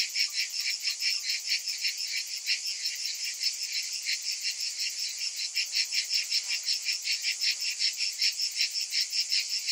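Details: A hot-summer cicada chorus, shrill and continuous, throbbing in quick regular beats a little under three per second, the pulses growing sharper toward the end.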